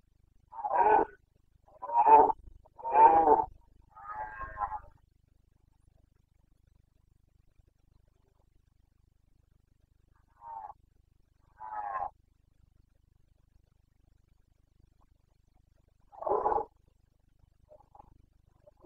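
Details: Rutting red deer stag of the Carpathians, Bucovina, Romania, breeding season, 29 September 2022, gives a rapid run of four gravelly roars. A long silence follows, then scattered single bellows at wide, uneven gaps.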